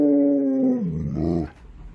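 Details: Alaskan Malamute, an impatient dog eager for a gift box, gives a loud, smooth, held tonal whine that holds steady, then slides down into a lower, rougher moan before cutting off.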